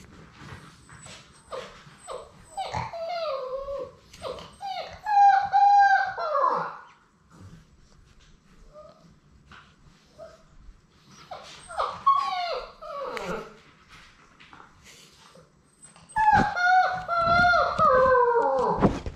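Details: Six Labrador Retriever puppies aged six weeks at play: bursts of high, wavering whines and yelping whimpers in three bouts lasting a few seconds each, separated by quieter stretches of faint shuffling.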